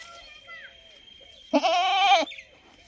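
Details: ['A single loud, quavering goat bleat of under a second breaks through a quiet background carrying faint chirping tones and a steady high whine.']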